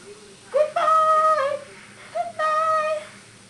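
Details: Pet dog "talking" while cuddling indoors: two drawn-out, steady-pitched whining moans, the first about a second long, the second shorter after a brief pause, in a small quiet room.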